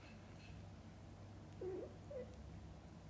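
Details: A cat nursing and grooming her kittens gives two soft, low, warbling murmurs about half a second apart, the first wobbling up and down, the second shorter and flatter. A steady low hum runs underneath.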